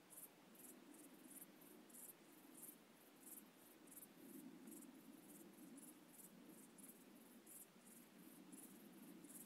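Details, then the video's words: Night-time cricket calling in the UK, high thin pulses repeated roughly three times a second at a steady pace over a soft low droning background. "Crickets Calling At Night UK"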